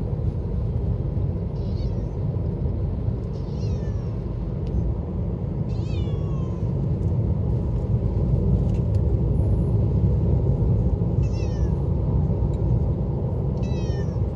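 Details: Pet cat in a car heading to the vet, with a hoarse, thin voice: several brief, soft, descending mews at irregular intervals, partly buried under loud continuous vehicle rumble and road noise.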